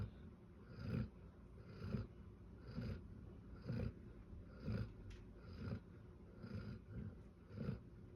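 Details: A sleeping Bernese Mountain Dog snoring loudly: low, rumbling snores in a steady rhythm, roughly one per second, about eight in a row, with soft breathy gaps between them and a quiet room behind.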